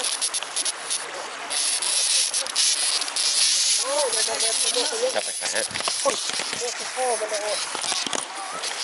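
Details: Wild cicadas startled by approaching people during cicada trapping in Hongsa, Sayaboury, Laos, calling to bring more of their fellows: a dense, continuous high buzzing hiss throughout, with a man speaking over it.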